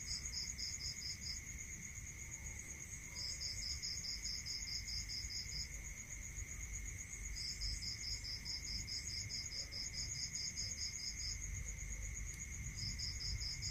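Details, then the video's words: Cricket chirping at night in a rural area: rapid pulsed bursts of high chirps lasting about two seconds, separated by short pauses, over a steady continuous high trill and a lower constant tone, with low background rumble. "Listening to Cricket Sound"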